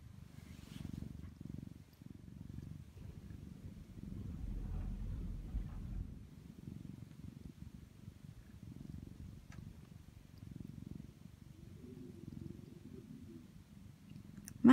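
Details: Orange tabby house cat purring while cuddling against its owner on a windy winter day, recorded indoors on an iPhone: a steady, low, rumbling purr pulsing continuously throughout, with a brief quiet voice at the very end.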